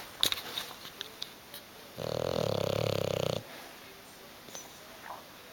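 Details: Pet bulldog Hugo sleeping on a sofa, refusing to wake: one long rattling snore of about one and a half seconds in the middle, with faint soft noises before and after in a quiet room.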